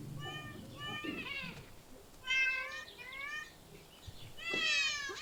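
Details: Park, zoo or street cats meow in short harmonic bursts, some bending downward, spaced irregularly about two seconds apart, with a brief low knock and faint background murmur.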